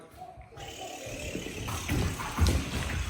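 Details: Running, splashing water and muffled indoor noise, with no animal sound heard.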